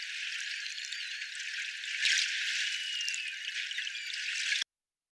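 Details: A group of Northern Atlantic bottlenose whales produce thin, wavering, narrow-banded tonal underwater whistles over a steady background hiss.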